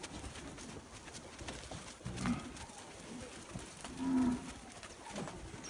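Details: Nelore calves from fixed-time artificial insemination. Two brief, low moos stand a couple of seconds apart, the second a flat hum lasting under half a second, against a noisy rural background.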